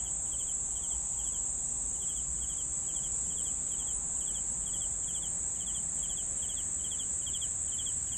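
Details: Crickets chirping steadily: short bursts of three quick pulses, about four bursts a second, over a continuous high, even insect drone.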